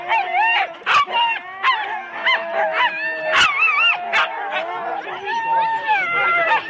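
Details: Four-dog Husky teams at a sled start in Rendlesham, January 2016, several dogs yodel and howl in bending, wavering tones, broken by sharp single barks and yelps, a steady excited din.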